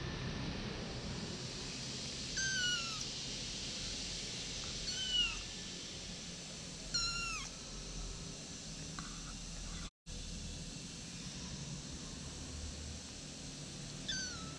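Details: One-month-old kittens taken outside, mewing in high, thin cries that slide downward, four or five calls spaced a few seconds apart over a steady low background hum.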